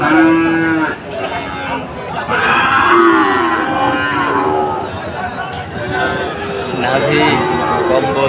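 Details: Sahiwal bulls being bought by Chattogram traders at Ambari market on Monday 24 July. Many overlapping moos follow one another in a dense chorus, short and long, amid constant crowd noise.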